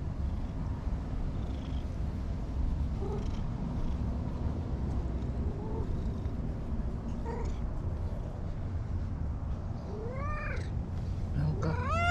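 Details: Anko, a stray cat at a bright green lakeside park in Japan, meowing constantly: faint short mews at first, then a run of loud, clear rising-falling meows near the end over steady low wind rumble.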